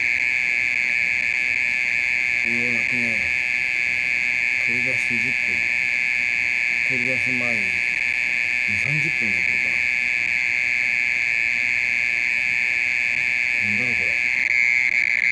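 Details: A mole cricket's continuous high trill at night, part of calling that lasted more than thirty minutes, with quiet human voices murmuring beneath it in several short bursts.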